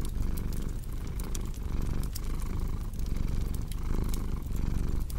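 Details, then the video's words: Low, throbbing cat purr pulsing in regular breaths just under a second apart, mixed with crackling fireplace snaps in a relaxing ambience. "Purring Cat with Cozy Crackling Fireplace Sound"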